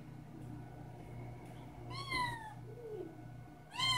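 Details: Indoor kitten waiting for breakfast gives a falling harmonic meow at two seconds and starts another at the end, over a constant low electrical hum.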